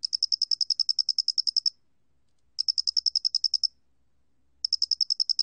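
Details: Song of a Doenitz's cricket, a 2020 recording from Korea's National Institute of Biological Resources: three trains of quick, evenly spaced high-pitched chirps, the first about fifteen pulses long, with quiet gaps between them.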